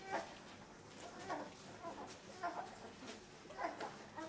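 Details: Puppies two weeks old, part of Limit's litter of 13: brief whiny squeals rise and fall in small bursts about once a second, thin and nasal, over a quiet background.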